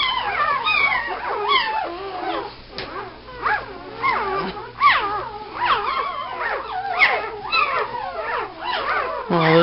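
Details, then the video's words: Puppies cry in short, sharp, upward-bending squeals separated by brief gaps, some louder yelps standing out, with a soft person's voice and a low background hum. "the sounds of puppies"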